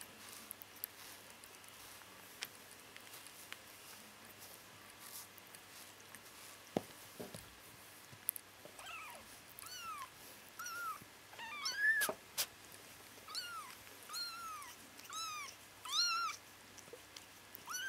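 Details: Bengal kittens twitching and dreaming indoors; short arched mewing calls with harmonics start after a quiet stretch, then repeat irregularly through the second half, over faint room noise and scattered clicks.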